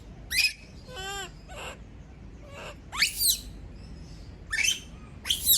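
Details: Female kept monkey screaming when left alone: piercing high falling shrieks, with a lower, wavering, moaning cry in between, then more shrill bursts.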